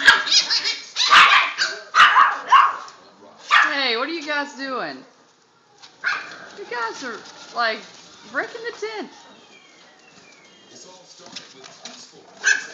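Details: Boston Terrier puppies playing in a tent give high yips, whines and squeaky barks in bursts, with rustling in between.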